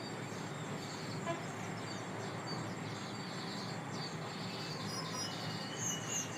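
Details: Steady outdoor vehicle rumble with a brief horn-like toot and faint high squeaks near the end, with no animal sound heard.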